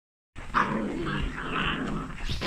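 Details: Whippet puppy growling during a play fight: a rough, low, continuous growl lasting about two seconds, with a sharper snarling burst near the start.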